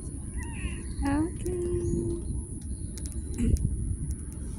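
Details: Street cat giving a short rising meow with a bright harmonic edge, followed by a level, held tone. A steady high electrical whine and low background rumble run throughout, and a person talks to the cat just before and after.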